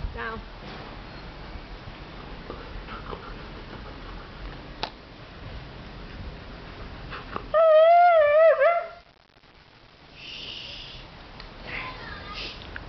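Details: Cyrus, a Siberian Husky, whining for his sausage toy inside the house: one loud wavering, warbling whine midway through, framed by faint rustling and a brief high squeak afterward.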